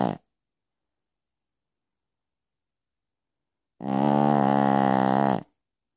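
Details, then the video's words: Pekingese named Piccolina snoring during the night, with the tail of one snore followed after a pause by a full, harsh, rattling snore lasting under two seconds. "Piccolina Pekinese schnarcht in the Night."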